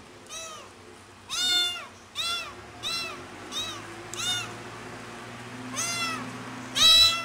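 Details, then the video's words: Cat named Pretty meowing very loudly, missing its mother: eight arched, harmonic-rich meows in quick succession, some short and some drawn out, the loudest near the start and end, over a quiet low hum. ""PRETTY" Meow Very Loud To Miss The Mother"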